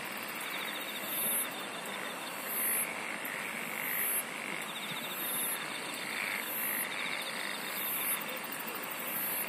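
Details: Insects singing in a dense natural chorus: short, very high, bright bursts repeat roughly every second and a half over a steady hiss, with softer pulsed trills and blurry mid-pitched calls that may come from frogs.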